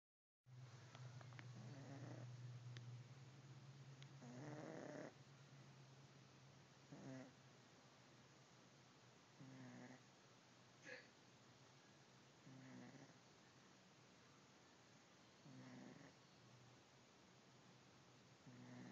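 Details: Domestic cat, a fat pet, snoring while asleep indoors: soft, breathy low snores recur about every two and a half to three seconds, with a steady low hum at the start.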